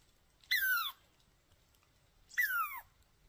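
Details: Angry chipmunk; two loud squealing calls about two seconds apart, each sliding steeply downward with bright harmonics, over a quiet background.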